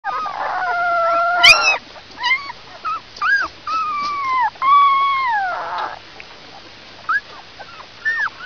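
A young wolf gives high, wavering howls mixed with short yelps and whimpers.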